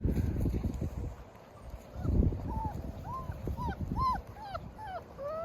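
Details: German Shepherd mother with her 8 puppies: after a rumbling, handling-like low noise, thin high arched whimpers come in a quick series from the pups, rising and falling, several per second near the end.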